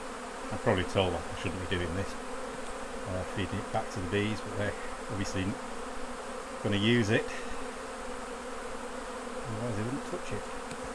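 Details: During a honey harvest, honey bees swirl around the opened hives. Short, irregular buzzy bursts come several per second at times, bending up and down in pitch as bees zip by, against a steady background drone.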